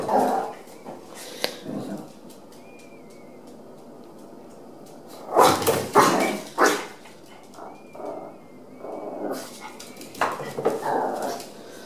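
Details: Chihuahua trying out a dog daycare alongside other dogs: quiet stretches broken by sudden loud clusters of sharp barks near the middle and end, with faint whistle-like squeaks between.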